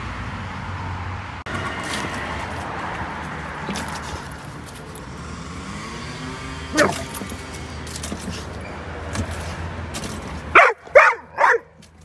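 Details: Pit bull barking: three sharp, loud barks in quick succession near the end, after a long stretch of steady background rumble and noise with a single faint bark midway.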